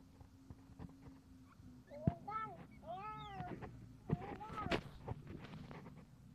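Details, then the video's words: Civet, a cross of musang lombok and musang pandan, during her second birth: a few arched, tonal, mewing calls rising then falling, given singly and in a short cluster, over low background noise and some speech. "Peroses persalinan musang lombok mix musang pandan"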